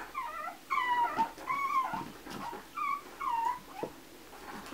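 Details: Chihuahua puppies at a kennel, indoors: a series of short, high, whiny whimpers, each bending upward then down, about six in under five seconds, with faint rustling between them.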